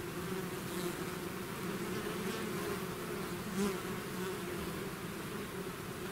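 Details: Swarm of bees out of their hive hums in a low, unbroken drone; one bee swells briefly louder near the middle before the even buzzing resumes.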